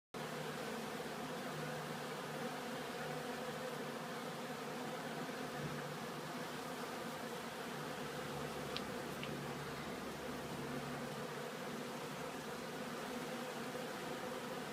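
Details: Honeybees returning to the hive with collected pollen at a bee farm: a steady, dense hum of many wings with a low drone band and its overtone, unbroken for the whole stretch, with two faint clicks near the middle.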